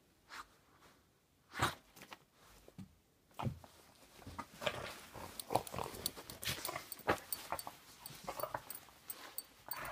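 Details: A Boston Terrier indoors gives short, sharp barks and grumbling yaps in irregular bursts, objecting when hands disappear into clothing.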